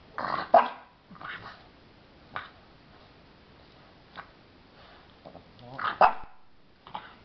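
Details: A 16-week-old French Bulldog puppy discovering mice gives short broadband barks and yips near the start and again around six seconds, with quieter scattered vocal bursts and sniffing between them indoors.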